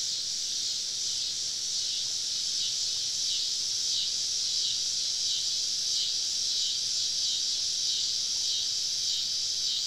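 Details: Summer evening cicada chorus recorded while camping deep in southern woods, many insects around: an unbroken, even wall of high hissing buzz with only faint pulsing.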